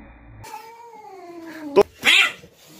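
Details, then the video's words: Cats fighting: a long, wavering yowl that slowly falls in pitch for over a second, then a sharp burst and a loud, harsh hiss-like spit near the end. "EPIC EMOTIONAL CATS FIGHT"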